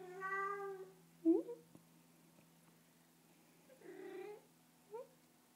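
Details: Bengal kitten in a lap getting pats, making a drawn-out meow, a small squeak, then a softer nasal mew and a faint chirp later, over a quiet steady hum.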